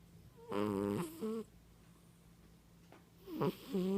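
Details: A sleeping cat snoring loudly indoors: two buzzy, tonal snores about three seconds apart, each ending in a short second burst, with a low steady hum beneath.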